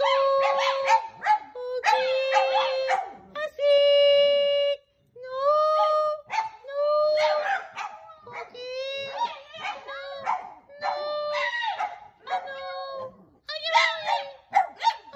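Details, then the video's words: Dogs singing: a run of short, tonal howls held at a steady mid pitch with rich overtones, some sliding upward or wavering, broken by yelping bursts and brief pauses. "Singing Dogs"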